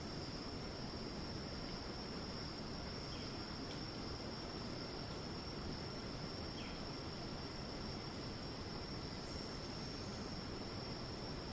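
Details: Unbroken high-pitched cicada screeching fills the rainforest of Ton Pariwat wildlife sanctuary in northern Phang-Nga, Thailand, steady for the whole stretch, with faint short chirps of other callers and a low broadband forest rumble.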